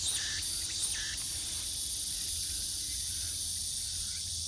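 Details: Continuous shrill cicada chorus heard on a forest walk at Gwangneung Forest, a protected woodland in Gyeonggi Province, Korea; an unbroken high buzzing sheet of sound with a few faint brief chirps in the middle range and low background rumble.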